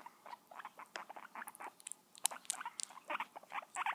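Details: Pet guinea pig in a small indoor room, giving a rapid series of short, sharp squeaky chirps and clicks in uneven bursts, some tightly clustered and others spaced apart, growing louder toward the end.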